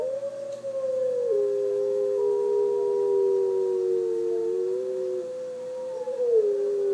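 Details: Young female puppy howling in reaction to wolves howling on a screen: long sustained tonal howls with gently wavering pitch, overlapping voices sliding down then rising again near the end.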